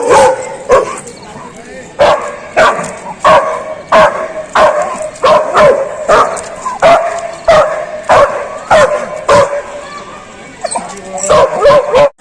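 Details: Dog barking very loud, sharp single barks repeated about every half second to second in a steady series, some doubled, with a brief voice-like sound near the end.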